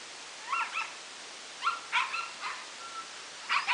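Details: Husky being bathed in a wash tub, clamped in by its collar and sprayed with a garden hose; short high yips and whiny barks come in small clusters over a steady hiss of running water.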